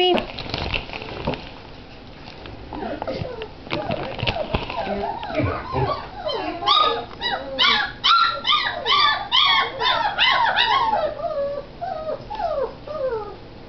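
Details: Great Dane puppies filmed January 27, 2009; after some clatter and voices, a burst of rapid, repeated high whines and yelps builds into a dense overlapping chorus before fading.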